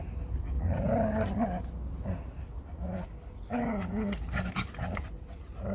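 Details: [1, 'likely', 'play growl', 'Labrador Retriever growling while fighting over a ball with a Hungarian Vizsla, the two dogs named Málna and Ede. Low, rumbling growls rise and fall in uneven bursts, with some scuffling and rustling between them.']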